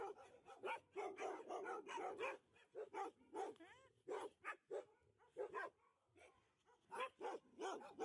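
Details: Alaskan Malamutes at a Harbin rescue shelter for stray dogs greet a visitor with singing: choppy, yelping, rising and falling barks in quick bursts, several dogs calling together, brief quieter gaps between volleys.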